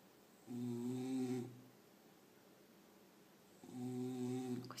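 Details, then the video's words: A pet dog snoring while asleep indoors: two long, droning snore breaths with a steady buzzing tone, the first from about half a second to one and a half seconds, the second starting near three and a half seconds, quiet room between them. "храп моей собаки"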